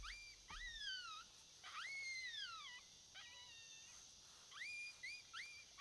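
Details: Coyote howling heard during a predator hunt: long, drawn-out notes that climb and then slowly sag, a few shorter ones in between, ending in quick sharp rising yips over a quiet background.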